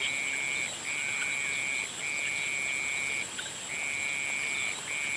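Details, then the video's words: Sunset chorus of frogs: sustained high trills about a second long, separated by short pauses, above a continuous high, thin buzzing background. "Sunset sounds of frogs"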